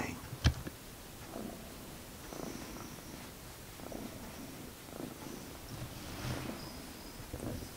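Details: Purring from a domestic cat in a home with two cats, Magic and Sooty; a quiet low rumble swelling about once a second, broken by one sharp click near the start and a faint high tone later.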